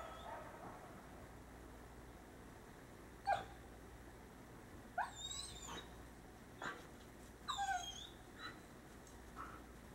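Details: Coyotes calling at night, sharp yips and short barks with a few rising wavering cries, scattered bursts over a quiet low hum.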